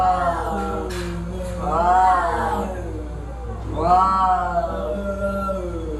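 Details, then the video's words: A fight between cats brings two swelling, drawn-out wails, each rising then sliding down into a sustained low moan. "Cat Fight with horrible sound"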